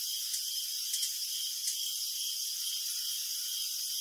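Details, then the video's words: Night-time crickets in full chorus, a continuous shrill, hissing trill sustained at high pitch, with a few short sharper chirps poking out in the first second and a half before the sound settles into an even drone. "Crickets Chirping in the Night"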